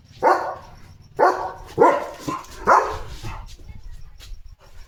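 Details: Pet German Shepherd named Leo giving four sharp barks in quick succession, roughly every half to one second, during the unboxing of a food parcel at home, with faint room hum behind.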